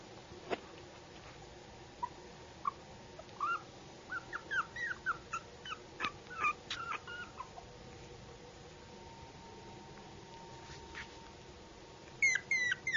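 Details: Puppy producing soft, short whimpers that begin sparse and grow into a quicker run of brief high whines, then quiet, ending with a few louder rising cries; a faint background hum throughout.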